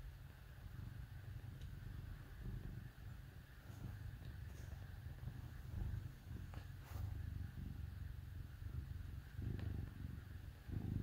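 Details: Domestic cat purring while snuggling with dogs on a cold winter day; low, steady rumbling purr in pulsing phrases every couple of seconds, with faint rustling.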